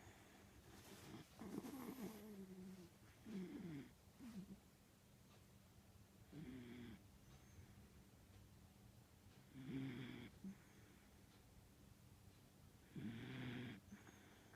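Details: Pet dog snoring heavily while asleep indoors, a loud snore its owner likens to a middle-aged man's; rough rasping breaths come every three seconds or so, quiet and low in the recording.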